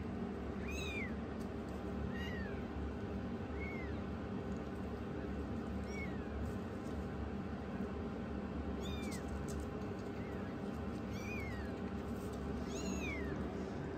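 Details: Youngest rescued foster kitten taking on its big sister, uttering short arched high-pitched mews roughly every one to two seconds, about eight in all, over a steady low indoor hum.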